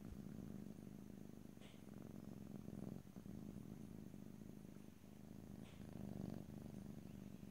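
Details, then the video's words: Low continuous purring of a domestic cat recorded ear to ear in stereo, a rumbling throb with breath-paced swells and a couple of brief higher squeaks or rustles. "ASMR Cat: Purring"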